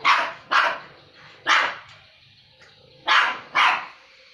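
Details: Two dogs squabbling over food, though they normally get along well: five harsh, noisy snarl-barks in about four seconds, coming in quick pairs half a second apart with a longer gap between pairs, over quiet background.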